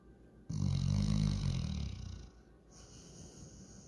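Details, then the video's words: Sleeping and dreaming, Walker the German Shorthaired Pointer gives one long, loud, low rumbling snore lasting over a second, then quieter steady breathing. "German Shorthair Pointer snoring"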